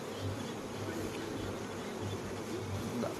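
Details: A short burst of the steady, even droning hum of many honey bees, recorded on a Khmer honey farm during the flowering season, with no other clear sounds.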